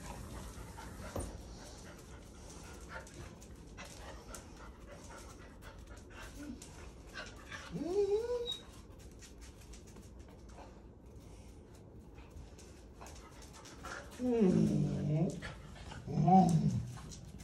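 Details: Young German Wirehaired Pointer (Deutsch Drahthaar) named Gustl, third week of bench training, whines indoors: a single thin upward-sliding whine midway, then two wavering, higher whimpers close together near the end, over faint room hum.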